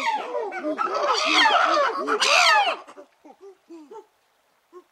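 Chimpanzees give a loud overlapping chorus of arched, hooting calls, then a few softer scattered hoots.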